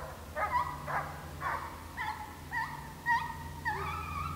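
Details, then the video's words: Hounds on a deer hunt in St Helena, South Carolina, running a deer: sharp, ringing yelps and bays with rising, bent notes, about two each second, over a low, steady engine hum. ""HomeGrown Kennels" Kickin'Screaming MY LAWD.. Listen at JULIO"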